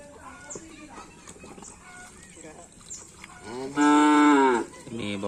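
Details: Racing bulls training for karapan sapi at a field in Asemanis; one loud, drawn-out harmonic moo lasting under a second, then a shorter call, over background voices and crowd noise.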